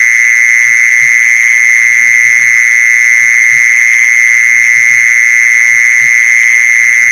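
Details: Mole cricket sound played to lure mole crickets: an unbroken, steady high-pitched trill holds at one pitch throughout, with faint soft knocks underneath.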